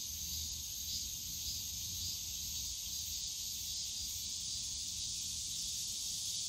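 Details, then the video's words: On a summer day in Yongsan Family Park's bamboo grove, cicadas keep up an unbroken high buzzing wash with slight rhythmic swells, distant low city rumble beneath. "용산가족공원 대나무숲 매미소리"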